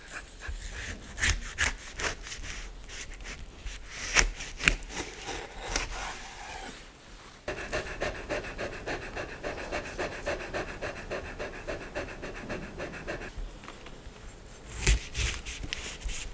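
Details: Maya the dog pants while reviewing different foods in an ASMR session recorded with a microphone setup meant for headphone listeners; quick breathy broadband puffs come irregularly, with crisp chewing-like crackles and a steadier hiss through the middle stretch.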